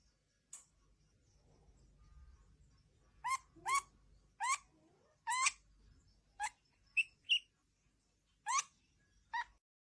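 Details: A young stoat (Mustela erminea) gives sharp, high squeaks in quick bursts, some bending up and down in pitch.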